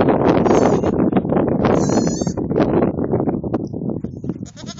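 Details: Baby fainting goats playing on a children's play set bleat in a dense, overlapping chorus of short, wavering cries.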